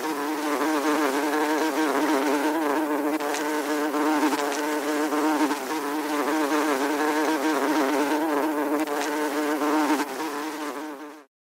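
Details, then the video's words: A continuous, warbling drone of a buzzing fly, steady in pitch and strongly layered. It fades out abruptly at the end. "Fly Buzzing"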